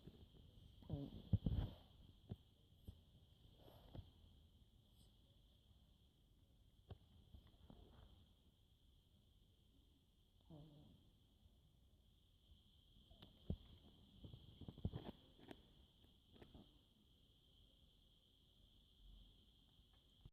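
A sleeping French Bulldog snores in low, rough rumbles that come and go every few seconds.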